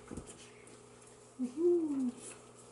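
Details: A Schnauzer puppy gives a brief, thin whine that rises then slowly falls, lasting under a second, between a woman's affectionate talk about kisses and love.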